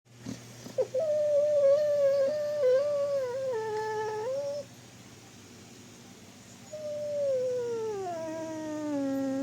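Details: A dreaming dog gives drawn-out tonal whines that waver, dip, then rise and fall again after a short pause, sliding lower at the end, over a steady low hum indoors.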